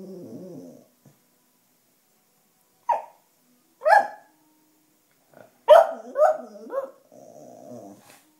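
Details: Black female Cocker Spaniel, who loves howling to wind instruments like the clarinet and seems a bit tired here, gives short, wavering howls and yelps between low growly murmurs.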